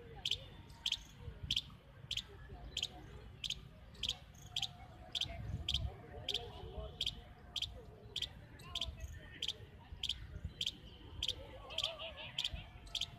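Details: A small baby squirrel calls continuously from a tree in Central Park, Jaipur. It makes short, sharp, high chips in a steady series, about twenty in thirteen seconds, over a low background murmur.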